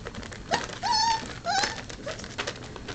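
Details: Four-week-old Vizsla puppies at mid-morning play time: a few thin, tonal whimpers, one short rising yelp followed by two longer level whines that bend upward at the end, over a background of indoor rustling and a person calling names.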